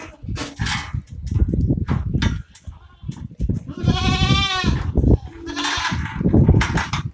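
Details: Osmanabadi goat at a goat farm: one wavering, quavering bleat lasting about a second stands out midway, over heavy low rumbling and shuffling noise, with a short nasal call near the end.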